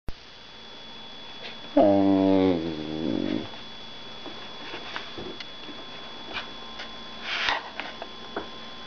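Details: Fostered female whippet, indoors, giving a short deep harmonic howl-like call with a wavering pitch that drops off, then a rougher note, followed by quiet room sounds and a woman talking softly.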